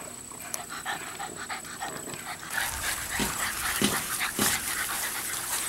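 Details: An 11-week-old female chocolate tri English Bulldog puppy pants and snuffles with rapid, irregular huffing breaths and snorts, broken by brief soft whimpers, over a steady hiss and a faint high whine.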